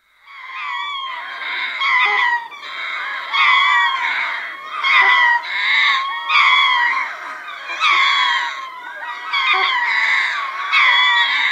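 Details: Medium close chorus from a troop of ring-tailed lemurs at Berenty, southern Madagascar: overlapping wailing, cat-like howls in repeated bursts of about one to two seconds, harmonically rich and slightly wavering, with brief gaps between bursts.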